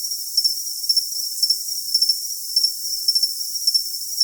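A cricket chirps steadily, high, thin pulsed trills repeating about twice a second.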